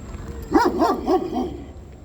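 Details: Giant Kangal dog, aggressive behind bars, giving four rapid harsh barks in about a second, each with a stacked tonal harmonic structure, then falling quiet; faint steady high whine in the background.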